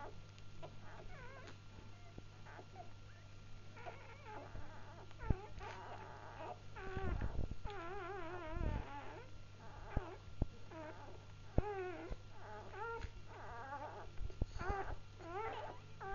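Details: Litter of just-born Labrador Retriever puppies whimpering continuously, many high wavering squeals overlapping, with occasional bumps and handling noises over a constant low electrical hum.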